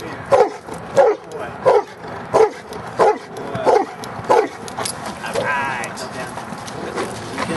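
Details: Giant Schnauzer Luther, almost three years old, in Schutzhund training, 13 January 2009: seven deep, forceful barks repeated about every two-thirds of a second, then the barking stops and a voice is heard.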